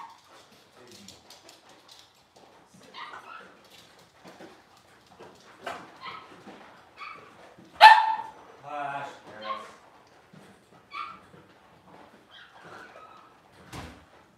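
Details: Six-week-old Cavalier King Charles Spaniel puppies in a puppy pen, handled while being dewormed and having toenails trimmed, give scattered short whimpers and a loud high yelp near the middle, with people talking softly throughout.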